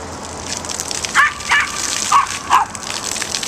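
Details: Male Yorkshire Terrier at a dog park, furious at a small waterspout and barking to protect his people from it: four sharp barks about half a second apart, set against a steady rushing gush of water.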